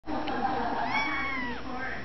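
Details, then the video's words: Grey kitten, one of five born in April to a stray cat, gives a drawn-out meow that rises and then falls, with a person's speech and low room noise underneath. "Kitten meowing"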